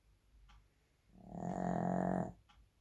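A Shih Tzu snores with one rough, rattling breath lasting about a second.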